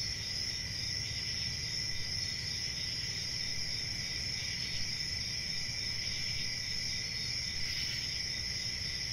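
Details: Crickets chirping in a steady, unbroken high-pitched chorus, a continuous shrill trill with a fainter band below it, over a low rumble of background noise.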